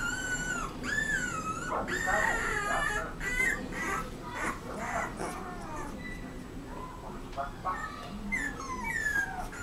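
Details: Young Rottweiler whining steadily, with drawn-out tonal whines that bend up and down, repeated almost twice a second. Soft background rustling is heard throughout.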